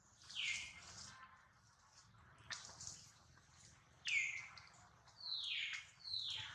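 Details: Young monkey Duke cries after a fall while trying to reach his mother, worried mother Duchess close by: sharp descending squeals, one early, then three closely spaced near the end, over faint background rustle.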